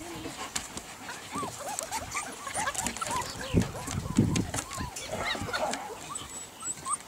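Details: A crowd of Golden Retriever puppies gives many short, high, arching whines and yelps that overlap throughout, with a man talking and laughing, and scattered knocks and rustling.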